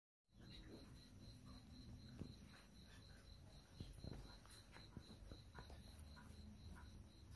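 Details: Young crickets between three and twelve days old give a steady run of short, high, evenly spaced pulses, several per second, over low rumbling background noise with scattered clicks.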